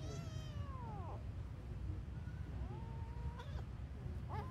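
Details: Cat giving several drawn-out meows, the first long and falling, then shorter rising and falling cries near the end, over a steady low rumble of background noise.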